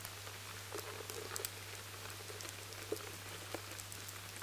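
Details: Stored barley infested with lesser grain borers gives off scattered dry clicks and soft taps, likened to the patter of rain on tarmac, over a constant low electrical hum in a high-sensitivity recording.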